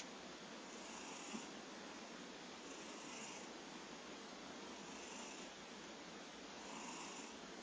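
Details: A cat named Kojiro snores quietly. Hushed, breathy pulses come at an even pace of roughly one every two seconds beneath a dense, even hiss.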